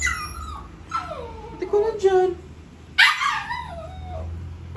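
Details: A pet poodle grows frantic while watching someone eat, giving high, falling whines that slide downward one after another, then a sharp, loud yelp, and a final drawn-out whimper over a low indoor hum.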